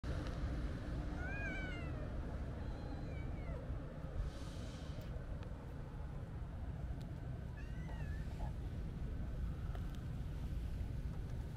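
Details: A calico kitten, a friendly stray met at a quiet harbor on a holiday, with a white cat nearby, gives several faint, short rising-falling meows over a steady low rumble of wind and background noise.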